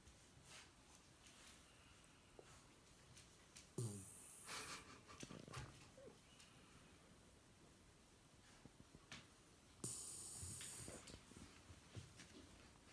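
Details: Shiba Inu Yuki, a female pet dog, asleep indoors with her eyes open in a daytime nap; two loud, rough snorting snores near four and ten seconds, with soft breathing and small room noises between.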